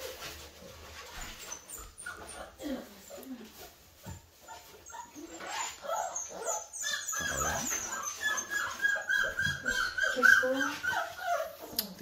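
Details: Five-week-old Bull Terrier puppies, a litter eating solid food mixed with wet canned food and making a big mess; high squealing whines bend up and down over constant chewing, lapping and clattering at the food.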